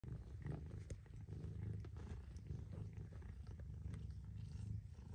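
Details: Mother cat purring steadily, a low continuous rumble with slight pulsing and a few faint clicks above.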